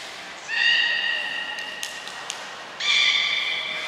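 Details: At Port of Nagoya Public Aquarium on June 5, 2021, belugas Hodoi, Gray, Nana and Nico train in captivity; a bright, nasal, horse-like squeal with stacked overtones holds for about two seconds, then a second squeal follows.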